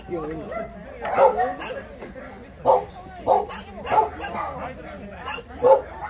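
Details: Shelter dogs in Yangsan, South Korea, seen during a volunteer visit, give separate loud barks about once a second. Each bark is clear and ringing against lower background yapping, with people talking nearby.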